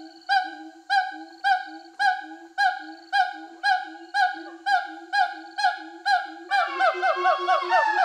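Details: Released siamangs in Sumatra, free in the forest for over a year after rehabilitation, give loud harmonic hooting barks every half second. The male's territorial call is joined by the female supporting him, building into a dense, excited chorus of rising whoops.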